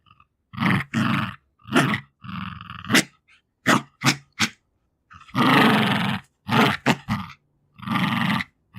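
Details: Jack Russell Terrier bitch, aged two, fighting for her favourite toys: gruff, grunting growls of varied length, some long and rumbling, others short and clipped, broken by sharp breaths and brief pauses.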